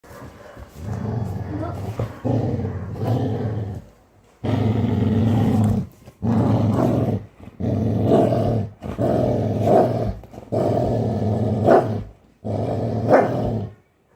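A Labrador Retriever gives deep, rumbling growls in long bursts that sound almost like a lion's roar.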